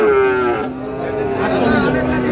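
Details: Sahiwal breed bull calves lowing at a livestock market where a Satkhira farmer buys stock on 10 May; a long moo slides downward, followed by a second sustained call, with traders talking prices in the background.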